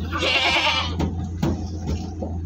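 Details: Jumbo goat during transport in Malang, Indonesia. One drawn-out, rough, quavering bleat opens the clip, followed by a few knocks and thumps over a steady low engine drone.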